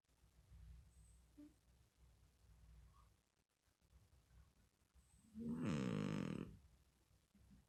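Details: Cat asleep and snoring: long quiet stretches of faint breathing, then one rasping, fluttering snore about a second long near the end.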